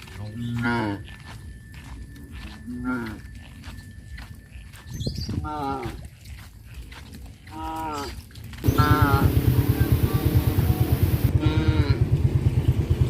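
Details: Tame village cows being herded toward a grazing field: a few moaning moos with harmonic overtones in the first eight seconds, then loud rumbling wind or handling noise covering the rest.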